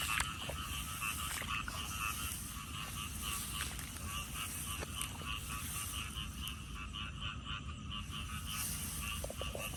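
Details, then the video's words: Unseen frogs heard on a frog-hunting walk: a thick, continuous chorus of rattling, pulsed calls and a bright steady trill, occasional single clicks standing out, over a persistent low rumbling background. "ដើររកកង្កែប លឺតែសម្លេង"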